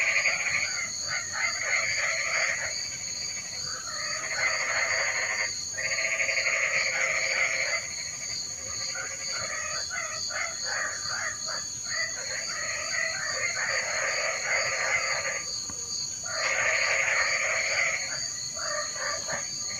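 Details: Frogs in the rain call in loud waves of grating, rattling croaks, each burst lasting about two seconds with brief lulls between. A continuous thin whine and a pulsing high hum persist throughout.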